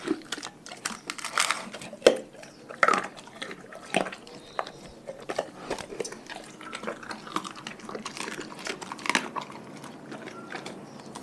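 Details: Dogs from a pack work through raw food, giving irregular crisp crunches and wet licks. A few strong bites stand out early on, over a quiet room background.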